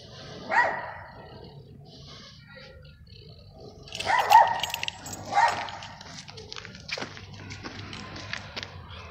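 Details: A French Bulldog out on a walk spots a cat on the street and gives a few sharp, separate barks with long pauses between them.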